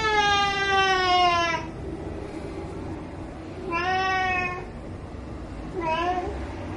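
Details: Ginger cat meowing to beg for shrimp: three insistent harmonic meows, the first long and slightly falling, then a shorter one and a brief third, against low background hum.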